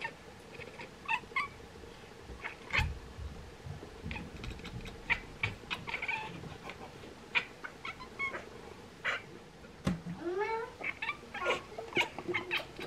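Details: Two Bengal cats, Bonnie and Isla, chatter and chirp while watching swallows prepare to migrate. Arched, bouncing chirps stand out among a busy run of clicks and thin high bird twitters.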